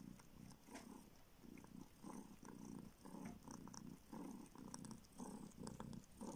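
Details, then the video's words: Homeless street kitten found and now living in a village in northern Siberia, sucking a finger in search of milk while purring: low rumbling pulses swelling and fading about once a second, with faint wet sucking clicks. "Kitten SUCKS finger in search of milk!"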